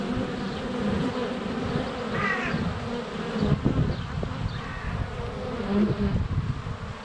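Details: Honey bees at their hive entrance during sunny February days, GoPro Hero 7 Black close by; low rumbling buzz of passing bees, with a brief faint chirping bird around two seconds and bee thumps on the camera.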